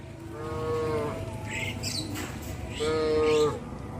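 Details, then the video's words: ['Herded cattle in a wide grass field; two steady, droning moos, each lasting under a second, separated by a short pause, with a faint hiss of wind or ambient noise behind.'] "Herding cows in a wide grass field | Sound of cows"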